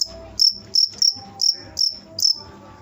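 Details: A cricket gives six sharp, high-pitched chirps in quick succession, each a brief shrill burst, over a soft background of faint lower tones.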